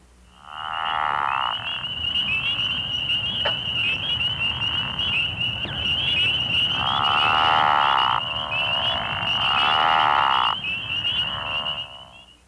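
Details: Pickerel frogs in Missouri give low, snoring croaks lasting a second or more over a steady high trill, during the March–April breeding season at woodland ponds, river sloughs or water-filled ditches.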